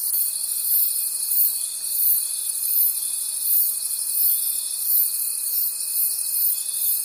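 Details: Crickets chirp at night in a forest in a dense, high, pulsing chorus that rises and falls in steady waves.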